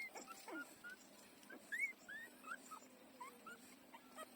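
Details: Four-day-old puppies learning to nurse utter soft, thin squeaks, short arched whines scattered irregularly through the few seconds over a quiet background hiss.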